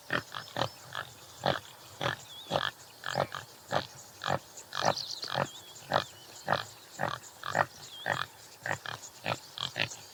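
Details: Topi antelope, Damaliscus lunatus jimela, repeating brisk, coarse grunts in a steady rhythm of roughly two per second, with thin whistled bird notes behind.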